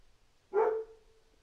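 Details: One short, loud dog bark with a lingering tonal tail, over faint low background noise.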